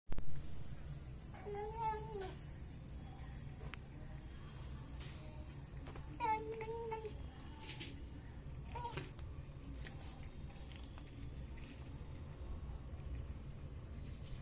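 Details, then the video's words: Cats eating fish make short, wavering, mid-pitched meow-like cries, two drawn-out ones near the start and middle and a brief one after, over steady low background hum. "Cats Making Funny Sounds While Eating Fish"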